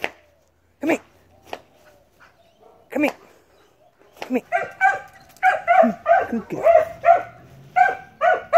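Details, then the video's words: A dog that barks all the time. A few isolated sharp sounds open the recording, then from about four seconds it breaks into a rapid, insistent run of sharp, mid-pitched barks, some closely doubled. "annoying dog Just barks all the time ."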